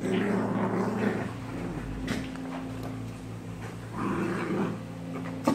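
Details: Growls from an American bulldog in a fight with a German shepherd and a Maltese. Harsh, rumbling snarls open the clip, a quieter stretch follows, then another gravelly growling burst, over a constant low hum.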